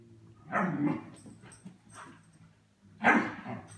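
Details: A German Shepherd puppy plays with cats indoors, giving two rough, husky bark bursts about two and a half seconds apart over a faint low room hum.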